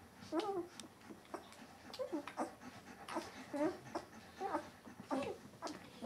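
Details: Donja's eleven-day-old White Swiss Shepherd puppies, C litter, making brief high squeaks and little whines in quick irregular bursts amid rustling and snuffling.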